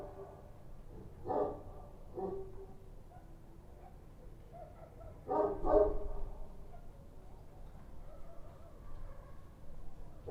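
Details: Kochi street dogs barking at night in Kabul: a few scattered, distant-sounding barks, single yaps near one and two seconds, then a louder pair of barks around five and a half seconds, over a low rumbling background.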